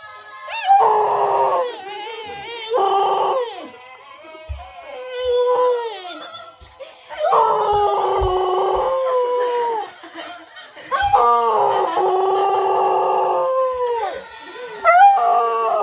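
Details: A Cocker Spaniel howls in long, wavering bouts that rise and fall, in a TK Maxx store.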